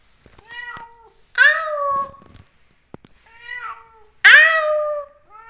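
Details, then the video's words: A pet cat indoors gives two clear, drawn-out meows, each starting high and sliding down, the second louder, with faint softer mews and small clicks between them. "meow meow"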